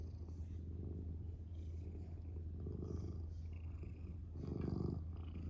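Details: Domestic cat purring, a steady low rumbling purr throughout, continuous and even with a slight swell near the end, indoors.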